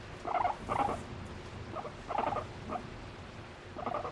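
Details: Pet guinea pig, a female showing affection toward her owner, giving short bursts of chirping squeaks in uneven groups of two or three, with quiet gaps and low room noise between.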